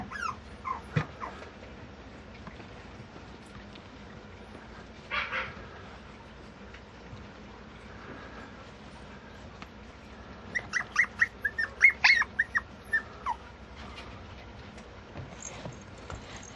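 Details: A female Mame Shiba puppy kept by a breeder lets out a short whine, then after a quiet stretch a rapid string of about ten sharp yips and whimpers, with soft rustling indoors.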